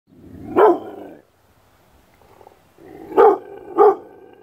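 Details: Thunder, a six-month-old Rottweiler, barking: one deep, loud bark, a pause of about two seconds, then two more barks in quick succession, with a soft rumbling breath between them and a quiet background.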